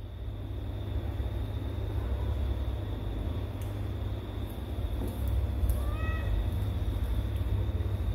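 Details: A stray kitten gives one short, rising, harmonic meow late in the recording, set against a constant low rumble like traffic and faint broadband clicks.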